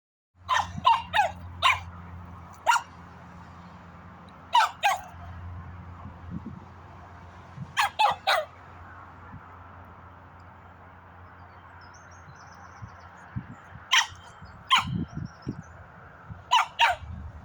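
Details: Dog barking in short sharp bursts, mostly in clusters of two or three barks separated by pauses of a few seconds, over a steady low hum.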